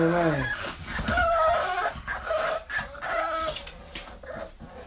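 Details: XL American Bully puppies give high, squeaky yips, barks and whines in quick, uneven bursts while a person talks.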